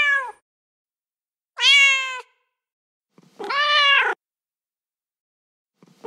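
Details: Male domestic cat in heat giving loud, clear meows about every two seconds, each bright and harmonic, slightly arching then dipping at the end, in an otherwise silent setting.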